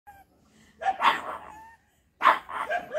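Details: Pug, described as barking aggressively, giving two short, rough, breathy barks over three seconds, the second followed by softer yelping tails, with a quiet gap between.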